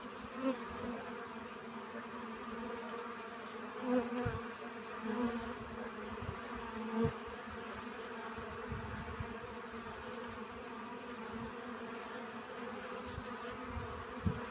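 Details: Pollen-gathering honey bees hum in an even, continuous drone of stacked tones, fairly soft, with a few brief swells as individual bees pass nearer and faint low knocks beneath.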